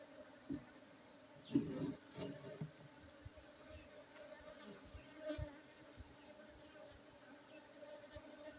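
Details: Honey bees from Aceh, Indonesia: a faint, steady low hum with a clear overtone runs throughout, broken by a few soft knocks and a brief rustling burst near the second mark.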